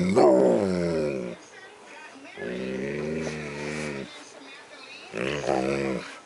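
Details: Happy male Siberian Husky vocalising with affection as his ears are massaged indoors at night: three long, wavering, talking-like moans with rising and bending tones, separated by short pauses.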